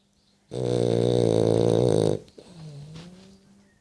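A French Bulldog gives a deep, vibrating snore: a harsh, raspy inhale lasting over a second, rich with rattling overtones. A quieter, whistly exhale follows as the breath trails off.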